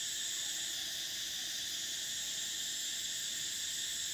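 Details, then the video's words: Continuous shrill cicada drone of summer, several high-pitched buzzing layers holding steady without pause for the whole stretch. "Cicadas: the sound of summer"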